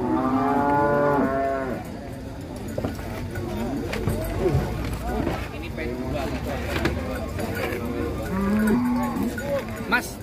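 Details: Bimasakti, a fat show bull, being unloaded from a truck with its load tilting, gives long low moos at the start and again near the end. Between them people talk loudly over background clatter.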